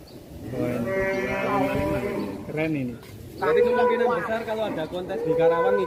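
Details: Fat cattle lowing in Indonesia: two long, drawn-out moos, each about a second and a half, the second rising slightly and then holding steady. Men's voices talk over the calls throughout.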